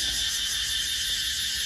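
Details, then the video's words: Cicadas singing at night at a family home in rural Thailand, a dense, steady, high-pitched shrill drone without pauses. "แล้วผมอยากถ่ายให้คุณฟังเสียงจักจั่นร้องที่บ้านของเรา"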